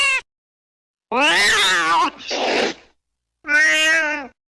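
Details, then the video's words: A domestic cat meows loudly several times: a short cut-off cry, a long wavering wail, a rougher breathy note, then a steady drawn-out meow, separated by silences. "Tiếng mèo kêu đuổi chuột hiệu quả, chuột sợ bỏ chạy té khói Sound of Cats to scare the Rats"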